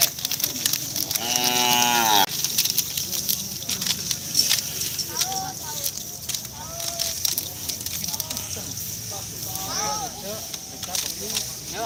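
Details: Cattle of a Kerapan Sapi bull-racing team at Pademawu field, Madura, East Java, Indonesia, waiting before breaking the fast. One long, harmonic moo in the first seconds, then crowd chatter and faint voices over steady background noise.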